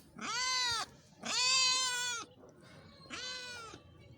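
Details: Cats meowing in Pakistan: three loud, clear, wailing meows, the middle one longest at nearly a second, with a softer, shorter call closing the sequence after a brief pause.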